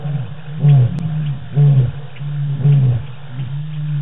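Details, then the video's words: Lions on the Djuma live cam at night in the African bush, 25 March 2018; a run of short, deep grunting roars, about one per second, low and rhythmic, tailing off in volume. "Lions roar"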